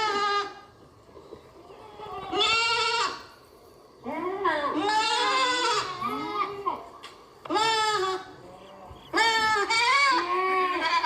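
A goat bleats repeatedly in loud, wavering, nasal cries, some rising and falling in pitch.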